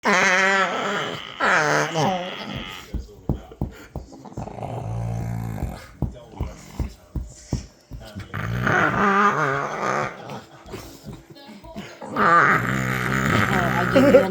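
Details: Pet dog making funny sounds indoors; harmonic whining and groaning moans rise and fall, broken by rapid low grunting pulses, with a person's voice nearby.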